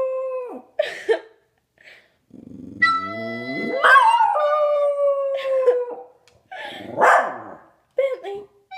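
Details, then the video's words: Domestic dog howling in response to a recorder being played: long wavering tonal howls with rich harmonics, rising and falling, broken by short gaps and a few yelping notes, one low rough growl-like passage midway. "Dog howling to recorder"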